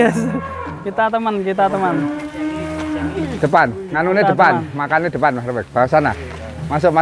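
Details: Douglass, an Angus bull called the largest in Indonesia, gives a long steady low moo held for about two seconds, framed by overlapping human chatter before and after.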